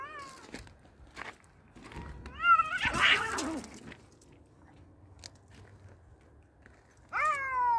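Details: Two male cats fighting trade strained, harmonic yowls that waver and bend in pitch. A harsh, noisy, hiss-like burst comes in the middle, then quiet scuffling, and a loud drawn-out yowl breaks in near the end.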